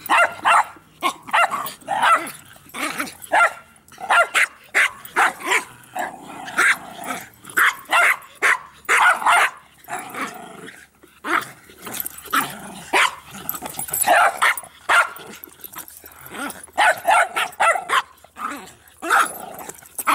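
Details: Bix, Banjo and Button, three dogs playing with a Jolly Ball, keep up steady, sharp, repeated barks, one every half second or so, with occasional yips and brief growly pauses between bursts.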